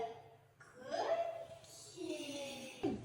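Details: Laughter and chuckling mixed with a few spoken words in a small indoor room, with no animal voice heard.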